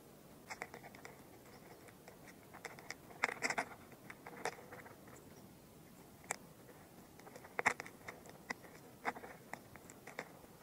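A carrion beetle chewing, heard as soft, irregular crackles and dry clicks.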